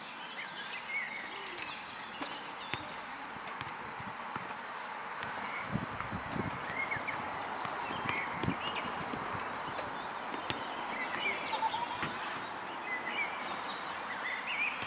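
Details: Cricket calling from the grass as it is hunted for without success: a thin, continuous high-pitched trill holds steady, over scattered faint bird chirps and low rustles and footsteps in the vegetation.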